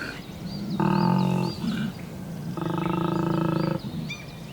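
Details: A large collared male koala at Cape Otway, Australia, gives deep, rasping bellows in two long snoring bursts, its mating call at the start of the spring breeding season as testosterone rises.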